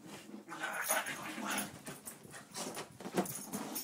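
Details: Daisy, a two-year-old Pit Bull, and Louie, an eight-year-old Chihuahua, playing together indoors; rough, breathy growling bursts and scuffling noises come in quick succession across a few seconds.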